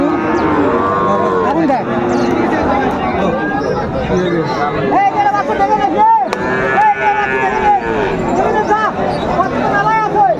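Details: Cattle calling at Raniganj market, Dinajpur, 2 May 2024, where Friesian and cross-breed bull calves are traded; repeated short, higher arched moos in the second half over lower lows and a noisy, crowded market.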